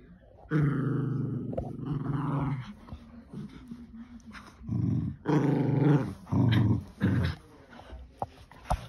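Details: Lakeland Terrier and Border Terrier in a tug-of-war game with a toy; deep sustained growls in several bursts of one to two seconds, separated by brief quiet gaps, with light knocks.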